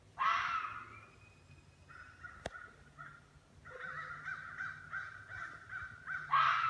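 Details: In northern Michigan, a red fox gives harsh, hoarse screams, one at the start and another at the end; the recorder believes it is a hunting call used to scare prey into running.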